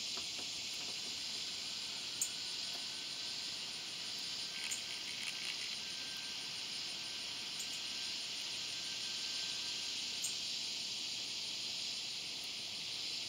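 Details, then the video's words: Swamp cicada, Neotibicen tibicen, giving a steady, unbroken high buzzing drone that holds evenly throughout, with a few faint ticks and clicks above it. "Neotibicen tibicen"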